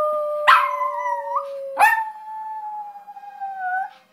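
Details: Izzy, a pet terrier, singing: two long wavering howls, each starting with a sharp onset then sliding down and holding, alongside a steady held lower tone through the first half.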